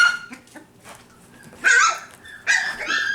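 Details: Honey's litter of five-week-old F1b Cavapoo puppies, kept at a licensed kennel in Carthage, Missouri: soft murmuring whines, then two bursts of loud, shrill, drawn-out yelping about a second apart.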